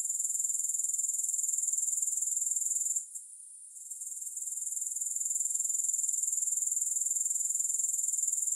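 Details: High, hissing insect trill from grasshoppers, with no music, in a relaxation soundscape. Rapid even pulses fill the clip, broken by a short near-silent gap around three seconds before returning at full strength.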